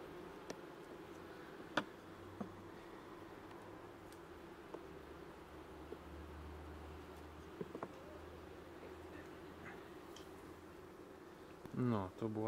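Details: Honey bees during a hive inspection on 21 July 2019, at their second spraying with 15% lactic acid: a steady low droning hum from the colony runs throughout, broken by a few sharp clicks and a brief rising scrape near the end.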